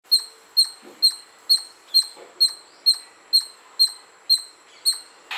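A squirrel gives sharp, high chirps in a steady series, about two each second.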